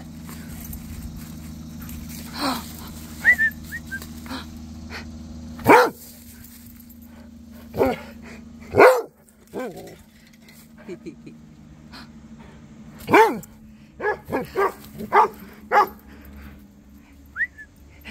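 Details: Rhodesian Ridgeback Cody exchanging barks with Duchess and the neighbour dogs. Single deep barks come every few seconds, some loud and near, others fainter and farther off, with a short burst of rapid barks near the end over background hum.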